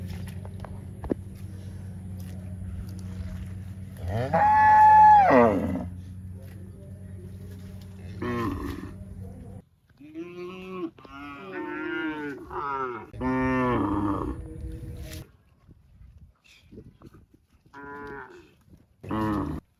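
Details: Cow mooing over a steady low hum: one loud, sustained moo near the start, then a run of shorter, closely spaced moos and grunting calls, and a final brief moo.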